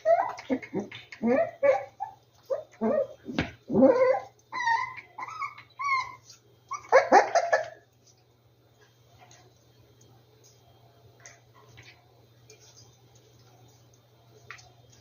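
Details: Rescued dogs at their hideout: a run of short whimpering yips and whines in quick bursts for about eight seconds, some rising squeaky notes among them, then near quiet with a faint low hum.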